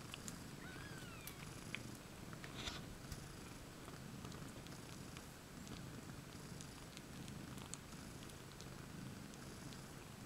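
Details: Two mother cats, IO-KHÔ and LOLLYPOP, and seven kittens huddle in a common basket, 20 May 2015; a constant low throaty purr, with a couple of faint high squeaks early on and light clicks.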